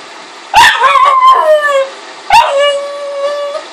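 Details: Bug, a Pug crossed with a Boston Terrier, lets out a sudden yelp that stretches into a drawn-out, slightly wavering howl-like whine. A second yelp follows about two seconds later, settling into a steady, sustained cry that slowly fades.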